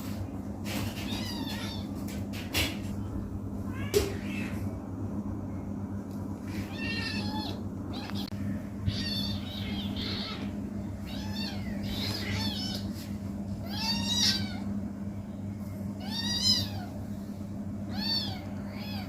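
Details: Kitten playing indoors, giving several short, high, wavering meows spaced a few seconds apart in the second half, over a steady low household hum with occasional knocks and rustles.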